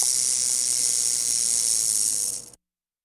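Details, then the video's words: Massasauga rattlesnake rattling: a continuous, even, high hissing buzz lasting about two and a half seconds, then cut off abruptly into silence. "MASSASAUGA RATTLER RATTLING SOUND EFFECT"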